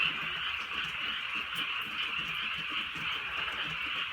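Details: Night chorus of frogs in the countryside while light rain falls: a constant wash of rapid, grating croaks overlapping into one sustained hum, a few soft drips audible.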